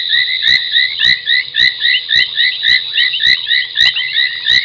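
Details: Foam nest tree frogs calling after dark, 30 January 2021 at 23:46, at Gowrie dam on Djuma Game Reserve, Sabi Sand Wildtuin, South Africa. Sharp clicks repeat about every half second over a pulsing, high chirping chorus.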